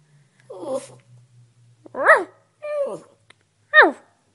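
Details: Chihuahua indoors making short varied vocal sounds: a low grumble, then three brief rising-and-falling yowls about a second apart, with a faint low hum at the start.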